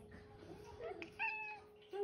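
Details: The female OK Cat, a house cat whose meow sounds like "okay", makes one clear, flat, tonal meow lasting under half a second, preceded by softer murmuring and followed by another brief cry.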